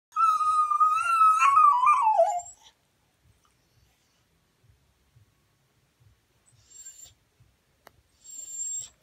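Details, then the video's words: Cocker Spaniel dog crying: a single drawn-out whining howl lasting about two seconds, wavering then sliding downward at the end, followed by near silence with faint soft ticks and brief high tones. "COCCRYING DOG COCKER SPANIEL"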